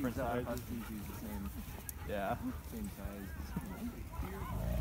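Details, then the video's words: Huskies and malamutes gathered in the snow give close, loud yodelling howls with rising and falling glides, several calls following each other quickly, some overlapping. "Husky & Malamute meetup in the snow"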